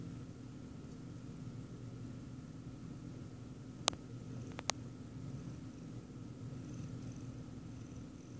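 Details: A Siamese cat watching a person eat ice cream purrs in a steady, low, rumbling drone, broken by a few sharp clicks.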